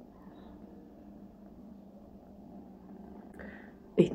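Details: Several pet domestic cats purring indoors as their owner shows them off; a soft, steady low purr runs for about four seconds before a short burst of human voice at the end.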